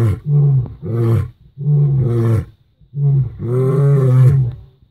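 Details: Lion roaring on safari during the first week of February 2016: deep, resonant grunting roars in four bursts, each swelling and then fading, with strong low tones and rising upper harmonics, repeated about every second.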